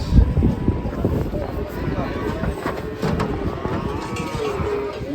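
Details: Cow being unloaded, making trouble as it comes down from a swaying truck; a low, drawn-out moo rumbles under steady crowd noise and background music.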